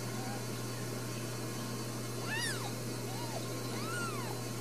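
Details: Brand new Ragdoll kittens, four of them, born in a central Kansas home cattery, let out three rising-and-falling mews in the second half, the first one bright and high. A constant low electrical hum fills the background.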